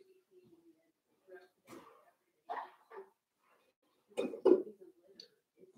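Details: Four-week-old Cavalier King Charles Spaniel puppies from Daisy's litter, indoors in their pen; short scattered squeaks and yelps build to a louder double burst of yelping near the end, with quieter whimpers between.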